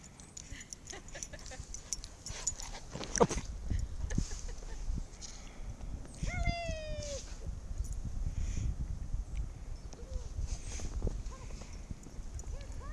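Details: Four Irish Setters playing in the snow; one dog gives a single drawn-out, high, wavering whine that slides downward, amid soft rustling, scattered thumps and faint distant yips.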